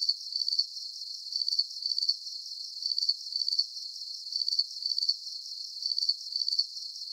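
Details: Cricket chorus of bright, high-pitched trilled chirps grouped in doublets, recurring at a regular pace roughly every one and a half seconds over a thin high hiss; nothing else audible.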